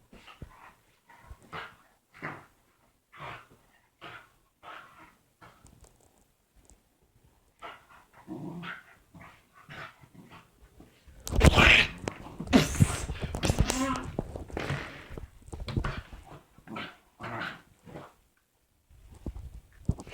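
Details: Domestic dog making weird vocal noises, then hugging: short growly and bark-like bursts repeated about once a second, broken midway by a loud, rough, noisy stretch, then more scattered grumbles.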